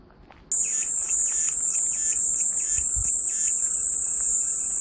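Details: Cicada song offered as calming white noise: after half a second of quiet, a steady, piercing high buzz starts abruptly and holds unbroken to the end, with softer rhythmic pulsing chirps repeating beneath it about every half second.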